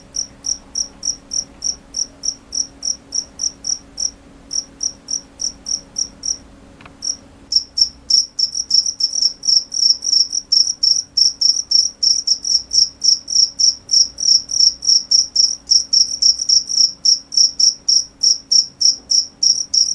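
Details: Cricket chirps, high and piercing, repeated quickly; softer at first, a short pause with a faint click around seven seconds, then louder, faster chirping about three to four per second to the end.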